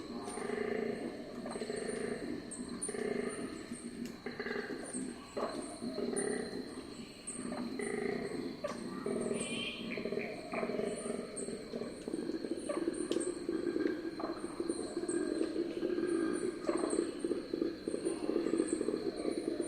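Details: A distant male koala bellows around 1 a.m. in central New South Wales, Australia, in a rough, rhythmic series of snoring grunts and inhales; described as night-time communication, not a mating call.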